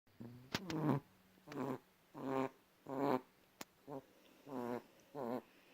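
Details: Domestic cat making little noises: seven short, harmonic, chirp-like calls in under six seconds, some rising and falling, each about a third of a second long, with a couple of sharp clicks between them in a quiet room.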